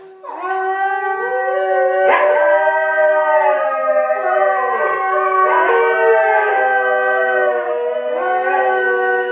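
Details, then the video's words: Several Salukis, five dogs named in the household, howling together in a group song started by one dog and led by another; sustained loud tonal howls with rich harmonics, overlapping voices gliding up and down, pitch swoops every couple of seconds. "Saluki Song"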